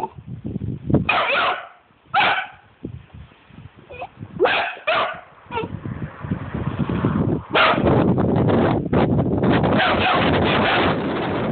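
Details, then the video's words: Angry Vizsla puppy, sharp harmonic yelping barks in short bursts near the first, second and fifth seconds, then a long stretch of rough, noisy rumbling growls filling the second half; low background thumps throughout. "Angry vizsla puppy"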